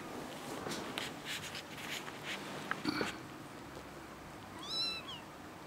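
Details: Kitten indoors giving one short high meow near the end, bending up then down with bright overtones, after a stretch of soft human talk and rustling.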